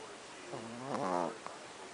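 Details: Sleeping pet Chihuahuas recorded at night; a single buzzy, harmonic snore swells and fades within about a second in a quiet room.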